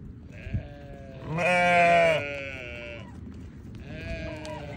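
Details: Newborn lambs bleating: a soft call, then a loud, strained bleat held nearly a second, followed by quieter trailing bleats over a low rumbling background.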